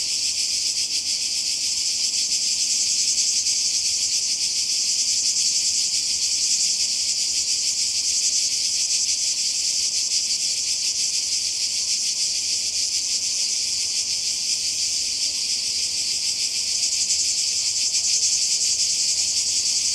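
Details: Croatian seaside cicadas in summer 2020 keep up a constant, piercing high-pitched drone with a quick rhythmic pulse, steady in loudness for twenty seconds.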